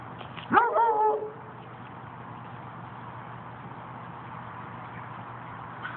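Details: A Basset Hound gives one short, wavering howl-like cry with rich harmonics lasting under a second, followed by steady low background hum and no further calls.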